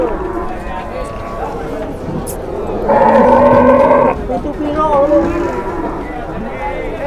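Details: Cattle at a farm in Indonesia being weighed on a new scale: a loud, drawn-out moo lasting about a second, with a rich, steady tone, amid men talking and shouting and general yard bustle.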